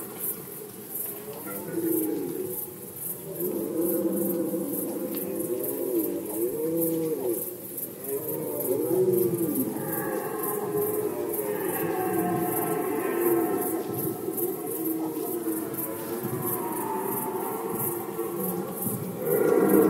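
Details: Rutting red deer in Poland, recorded in 2020 during the rut season. A long stretch of overlapping moaning roars, some wavering and arched, one higher-pitched bellow near the middle, over constant fast high-pitched ticking.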